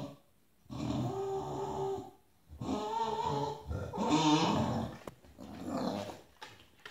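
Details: Bulldog throwing a tantrum for a spot on the bed beside other dogs, letting out three rough, rasping growl-grumbles separated by short pauses, with some shifting sounds indoors.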